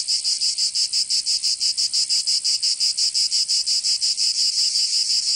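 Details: Cicadas singing in summer heat of Provence, southern France: loud sizzling buzz broken into regular fast pulses, roughly four per second, steady and uninterrupted, no other animals or voices.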